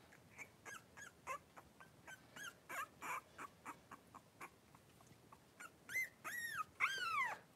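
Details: Three-week-old blenheim Cavalier King Charles Spaniel puppies, five littermates playing together in a pen: a rapid series of short squeaky yips, roughly three per second, ending in louder, arching whines.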